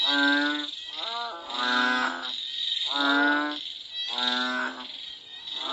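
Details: Frogs in Cambodia calling during and after rain give deep, nasal, moo-like calls roughly once a second over a steady insect hiss.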